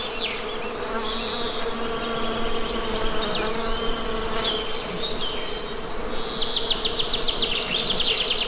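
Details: Honey bees give an even, low buzzing drone that never breaks; scattered bird whistles and a burst of rapid chirps near the end ride over the hum.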